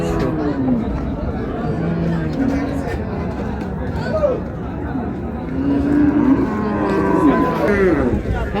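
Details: Dairy cattle and calves of improved breed at the Raniganj cattle market in Dinajpur give several short moos, clearest toward the end, beneath continuous human voices and crowd noise.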